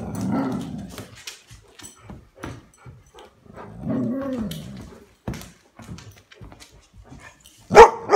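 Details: Golden Retrievers being goofy while playing indoors, giving low grumbling and moaning vocal sounds that rise and fall, with scattered short barks and shuffling noises, ending in a sharp louder bark.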